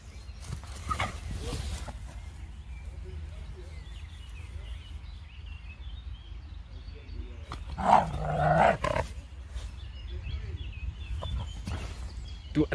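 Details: Outdoors, a Dobermann named Jeff meets a young Fox Terrier. A dog gives a short, rough growling burst near the start and a louder, longer one around eight seconds. Between them are steady wind rumble, faint bird chirps and a man talking.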